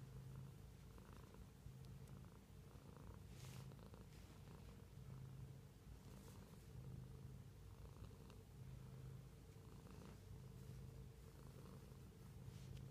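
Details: Close, deep purring from a house cat, alternating inhale and exhale phases roughly every one and a half seconds, accompanied by occasional crisp clicks.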